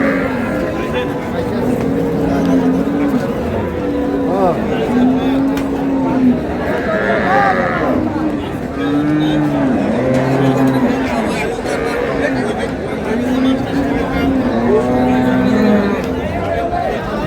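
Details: Lowing from cows with calves at Ambari haat livestock market in Dinajpur, Bangladesh, March 6, 2026. Long, steady moos come roughly every two to four seconds over loud crowd chatter and nearby speech.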